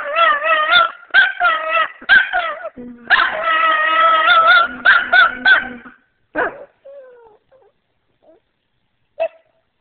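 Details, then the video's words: Singing pet Shih Tzu: quick run of short yipping howls, then a longer sustained wavering howl, followed by fading whimpers and near silence with one last short yelp. "Singing Shih-Tzu"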